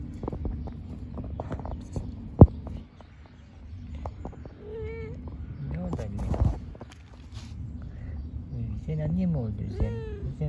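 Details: Mother cat with her kittens living in a park: several short harmonic meows around two to three seconds apart, some rising and falling, over steady low background rumble and clicks and knocks.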